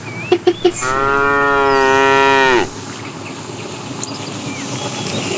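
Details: A tame cow wandering the road looking for food lets out a steady, rich moo lasting about two seconds, preceded by a few sharp clicks, with faint bird chirps afterward.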